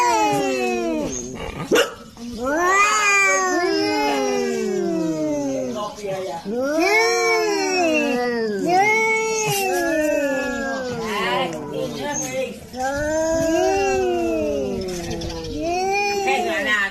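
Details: Cat mad at a rival cat while protecting its territory: repeated long, arching, moaning howls, each swelling up then sliding down, coming roughly every two seconds and sometimes overlapping, with faint rustling.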